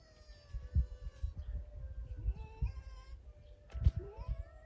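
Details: A free-roaming fox at a Zao fox village in Miyagi, Japan, once a fur farm, gives several drawn-out, wavering cries rising and falling, with a sharper squealing call near the end over low rumbling background noise.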